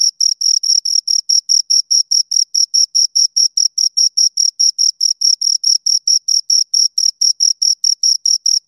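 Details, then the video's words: Two crickets chirping: a steady, high-pitched pulsed trill of short chirps, about four to five per second, with no other sounds in the background. "Two Crickets Chirp Sounds"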